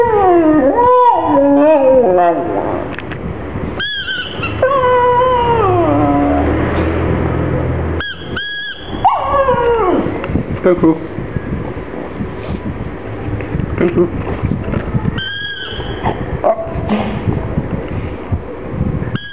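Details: A black pug crying, sad over a little ball: a string of high, wavering whines that slide down in pitch. They come in quick bursts with short gaps between them. A person says a word at the start.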